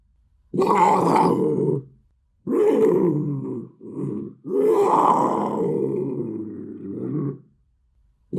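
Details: Rough, breathy panther growls in three main bursts, harsh and groaning, with a brief low grunt between the second and third, which drags on for nearly three seconds.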